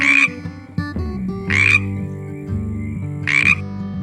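A frog gives three short, raspy, crackling croaks spaced almost two seconds apart, over steady low music tones.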